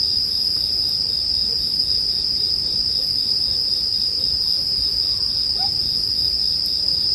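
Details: Bell cricket chorus layered over campfire ambience meant for sleep; an unwavering high-pitched ring fills every second, underneath a faint low rustle and a few small fire pops.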